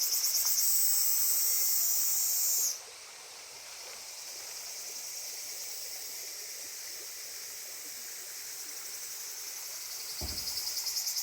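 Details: Cicadas by the Genka River (源河川) shrill with a loud, high, hissing buzz that cuts off, leaving fainter buzzing.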